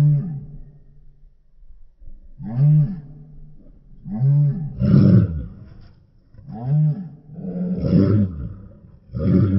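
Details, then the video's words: Deep barks from a Rottweiler come in quick pairs and singles after a quiet start, some rough and noisy, others rounded and tonal, spaced one to two seconds apart. "Rottweiler Barking Sound"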